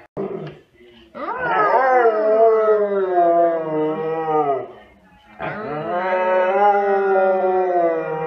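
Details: Siberian Husky. Siberian Huskies howl and yowl together in long, drawn-out, wavering cries that rise sharply and then hold for several seconds. A short yip opens, followed by two sustained, talkative howls.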